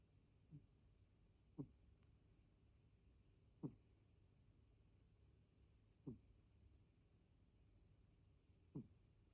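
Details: Soft snoring from Deni, a pet cat whose snore sounds unlike usual: five brief low grunting breaths at uneven intervals of roughly two seconds, with near silence between.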